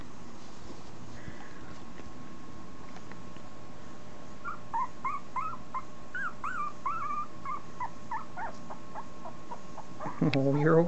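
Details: Italian Greyhound puppy, two and a half weeks old, letting out a quick series of short, squeaky whimpers and yips, each bending up then down in pitch. They start a few seconds in and end in a louder rustling bump.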